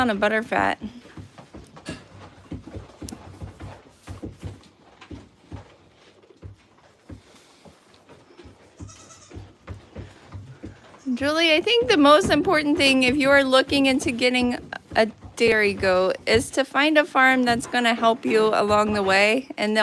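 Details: Goats on The Willful Goat Farm & Home live stream, mostly quiet with scattered clicks for ten seconds, then a long chorus of overlapping, wobbling bleats, loud and continuous to the end, with voices mixed in.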